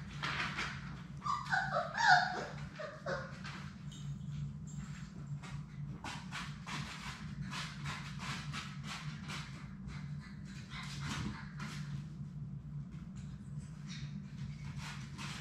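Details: Labrador Retriever puppies, a litter of six, playing together in their puppy play room: a short burst of high, wavering whines and yelps early on, then steady scuffling, clicking paw and floor noises over a constant low hum.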